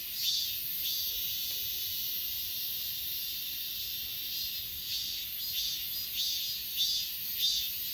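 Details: Grass insects on Achasan, Korea, recorded with an S20 Ultra phone: scattered, somewhat irregular chirps over a constant thin high buzz, a few louder pulses near the end.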